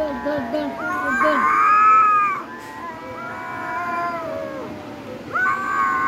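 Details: A cat calls in prolonged, wavering meows: a short low mew first, then a loud sustained cry that sags in pitch at its end, followed by a softer held note and another rising wail.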